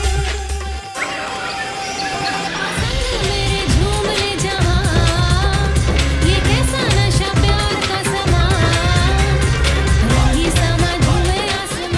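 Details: Loud Asian pop music with singing and a steady bass beat, and no animal sound.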